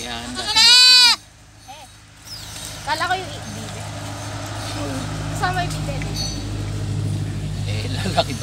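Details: One loud, strongly harmonic bleat from a kept goat, called harmless but mischievous. Softer, shorter calls and rustling follow over a steady low hum.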